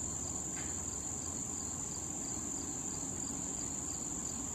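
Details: Crickets keep up a steady, high, shimmering trill without a break, behind bees and butterflies on a patch of wild thistle in late summer.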